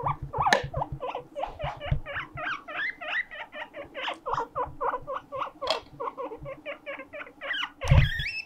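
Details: Siren-like crying from pet guinea pig Mokohei, calling out in loneliness: a fast, continuous stream of short, upward-sweeping squeals, roughly two per second, over low knocking and shuffling noises.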